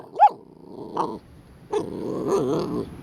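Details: Pit Bull named Latte growling while biting a sprinkler: a short sharp yelp, a brief huff, then a sustained, wavering, throaty growl lasting about a second.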